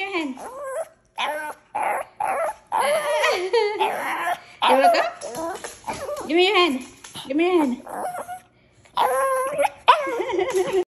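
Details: Pet Shih Tzu 'talking': drawn-out, warbling whines and yips that rise and fall, broken by brief gaps, mixed with a person's encouraging voice urging the dog to come along.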